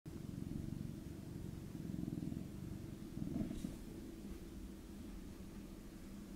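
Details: Norwegian Forest Cats Roy and Moss, from Hungary and living in Switzerland, purring during evening nap time: a steady low rumbling hum without breaks, with a faint brief rustle partway through.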